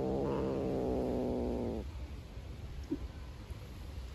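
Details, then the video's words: Black stray cat, hungry and refusing to share food with a beige cat, gives a sustained low rumbling growl of nearly two seconds that stops abruptly, leaving faint background noise and a small click. "Hhungry black cat growls. The cat does not share food with the beige cat"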